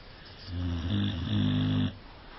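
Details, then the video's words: Cane Corso dog giving one sustained snore of about one and a half seconds, a deep buzzing drone that swells slightly in its second half before stopping abruptly. "Храпит собака"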